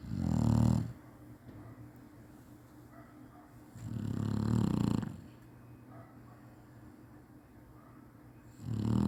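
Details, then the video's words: Napping Chinese Shar-Pei snoring in a regular cycle: three low, raspy snores roughly every four seconds, each rising and falling smoothly, over a soft background hum. "cachorro roncando bonitinho chinese sharpei"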